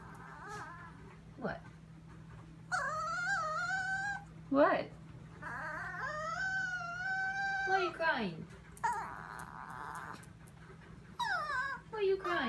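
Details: Chihuahua Sophia crying in the kitchen at 2am, fixated on something; a string of high, wavering whines and quick falling yelps, mixed with a person talking to her, a low hum throughout.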